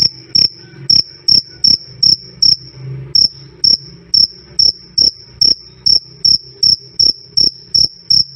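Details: Cricket calling loud and clear, a high, pure-toned chirp repeated roughly every 0.4 seconds in a steady train, with one brief pause near the three-second mark; a faint low hum lies underneath.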